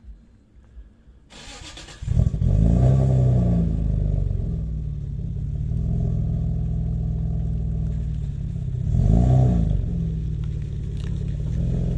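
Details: A car engine starts after a quiet opening, then revs and runs loudly with a deep rumble, swelling again near nine seconds; no animal sounds.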